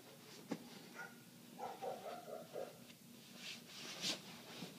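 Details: Muffled barking of a neighbour's dog that kept going for eight minutes, heard inside with the windows shut: a run of quick repeated barks mid-clip, among rustling and clattering from household chores.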